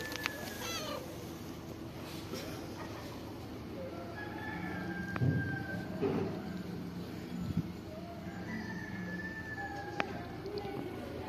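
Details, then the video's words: A calico cat gives soft, drawn-out meows, some rising and falling, over a low background hum. "calico cat says with her cute meow "I'm A Loving Cat""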